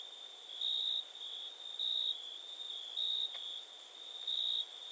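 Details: A cricket sings a continuous high-pitched trill broken by four louder pulses roughly every 1.2 seconds, a faint second tone ringing far above; one brief click midway.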